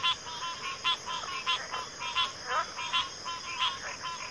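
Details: Frogs calling in a backwater chorus of pig frogs and water frogs: quick series of rough, grunting pulsed notes, several overlapping, set against a steady high-pitched insect drone.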